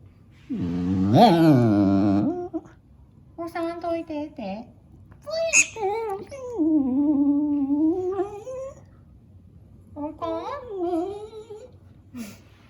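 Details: Dog at home grumbling at the squeaking sound of a tablet mouse game meant for cats, with a string of drawn-out, moaning, speech-like vocalisations of varying pitch separated by short pauses, plus a few faint clicks.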